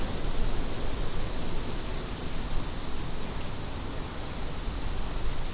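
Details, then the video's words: Insistent high cricket pulses repeat in quick, even bursts, roughly two to three a second, above a dense rumbling wind that fills the low end. "Crickets & Wind"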